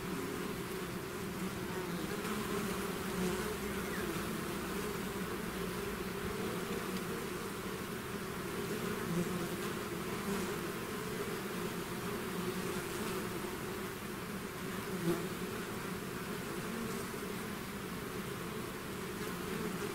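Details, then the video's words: Twenty seconds of a bee swarm streaming out of its hive, a steady thick hum of countless wings with low droning layers and occasional closer individual buzzes. "bees therapy swarm natural buzzing sound"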